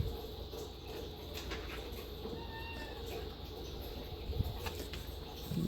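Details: Domestic cat given catnip picked from the yard, giving one soft, drawn-out meow near the middle that slides gently downward, set against a steady low hum and faint rustling.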